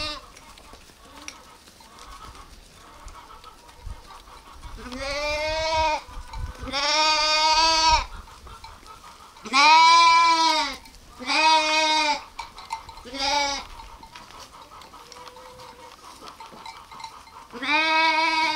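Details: Sheep or lambs giving a run of loud, quavering bleats, about seven calls of roughly half a second to a second each, spaced irregularly with short pauses and faint background rustling.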